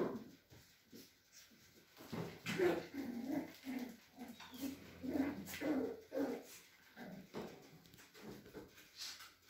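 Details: Cavalier King Charles Spaniel puppies from a breeder in the Sierra de Madrid, Spain, whimpering and squeaking in a dense run of short nasal cries indoors, with faint room noise.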